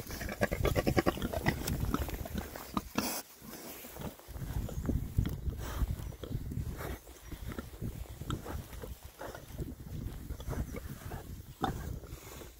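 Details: Six male rare-breed Oxford Sandy and Black pigs, content, foraging outdoors in winter between storms. Low, rumbling grunts come in irregular bursts, mixed with snuffling and rooting noises and sharp clicks of ground being worked.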